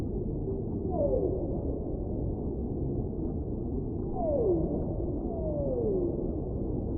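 Humpback whale song: sliding moaning tones that glide downward, repeated over a low rumbling ocean background.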